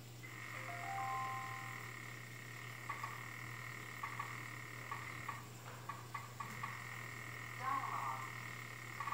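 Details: African clawed frog calling: rapid series of short clicking pulses, about four per second, in loose bursts, over a steady low hum and a continuous high tonal whine.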